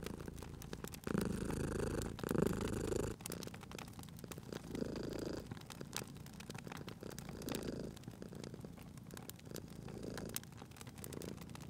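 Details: Sleeping cat purring by a crackling fire, a strong rumbling bout early on, then softer, shorter purring pulses spaced about every one to two seconds under constant crackle and snapping of wood.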